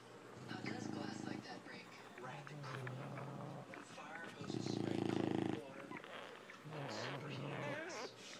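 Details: A female English Bulldog snores in deep, rattling breaths, each about a second long with pauses between, while nursing her puppies.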